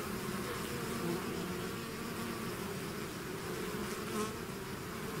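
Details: Steady droning hum from a bee swarm leaving its hive, many overlapping wingbeats blending into one constant buzz, with faint individual bees passing close now and then.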